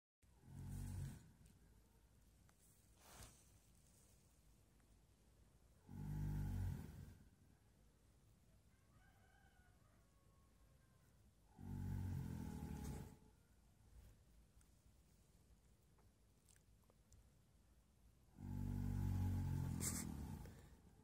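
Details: Myrtle, registered as Whitwood Lass, an 18-month-old horse sleeping soundly and snoring: four deep, rumbling breaths arrive about every six seconds, low and broad, separated by near-silent pauses.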